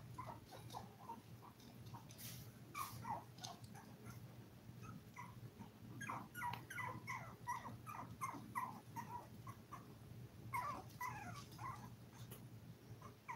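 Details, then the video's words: Litter of seven Toy Poodle puppies aged five weeks, crying in quick runs of short high yips and whimpers, about three per second in busy bursts, over a low electrical hum and occasional knocks. "Toy Poodle Puppy 5 Weeks"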